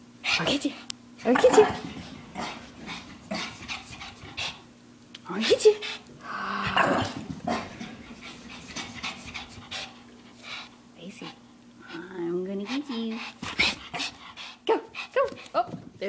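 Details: Three-year-old Shih Tzu running around indoors full of energy after a long neighborhood walk; rapid panting breaths and scuffling with a brief higher whine, while a person talks throughout.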